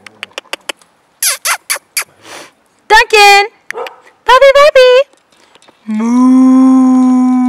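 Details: Border Collie giving short high yelps, then wavering, rising and falling whining howls. A long steady tone follows at the end, with a person speaking before.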